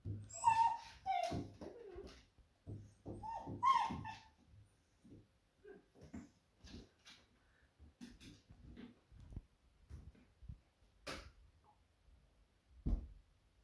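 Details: Smudge, a female Beagle indoors, barks and raises the alarm, sensing her owner nearly home from surfing. High, whining yelps with strong overtones fill the first four seconds, then fade to faint, scattered knocks and thumps, with one sharp burst near eleven seconds.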